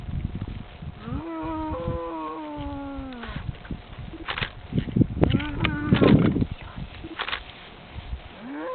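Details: Cows in France gathered by a person calling them; a sustained moo falling slowly in pitch, followed by clattering knocks and a second short moo amid bustling noise.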